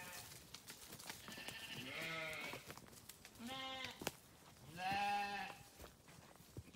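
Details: Sheep heard in three separate bleats spaced roughly every one and a half seconds, each a wavering, nasal baa, the last one loudest and longest, with clicks and faint rustling between calls.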